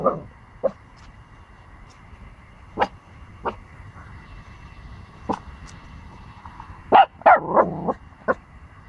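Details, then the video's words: Pomsky puppy, 14 weeks old, barking at a big dog before running away scared; short sharp yips scattered irregularly, with a quick cluster of louder barks near the end over a steady background hum. "Pomsky puppy barking against a big dog and runs away scared!"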